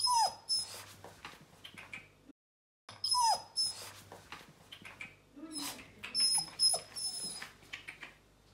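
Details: First day at a new home for a Bernese Mountain Dog pup: a few drooping high whines, separated by a silent break, then softer scattered cries amid shuffling noises and a low electrical hum.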